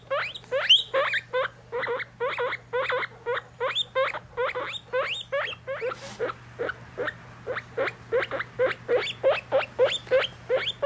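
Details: Guinea pig babies, three weeks old, with their mother during weighing: an unbroken series of loud, high, rising squeaks, about three per second for the whole stretch, over a steady background hum.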